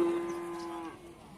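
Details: A single cow at Pasar Sapi Bumiayu, the animal market of Bumiayu, Indonesia, gives a clear, steady, level moo held for nearly a second before it fades. Only faint market background remains underneath.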